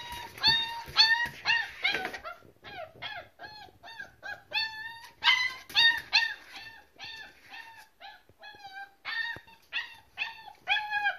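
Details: Several German Shepherd Boxer mix puppies crying together: a dense, steady run of high, bending whines and yelps, about two a second, rising and falling in loudness with no break.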